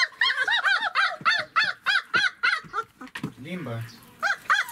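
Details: Twenty-six-day-old German Shepherd pups during feeding in Odesa, Ukraine, give bright, arched squealing yelps about three per second, then a short pause with a person speaking and laughing before the yelps resume.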